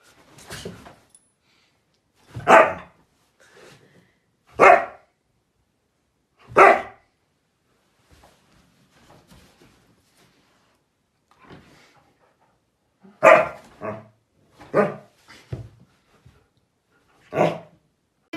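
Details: Siberian Husky barking indoors in short, sharp bursts: single barks about every two seconds early on, a pause, then a quicker cluster of barks near the end, with quiet room noise between.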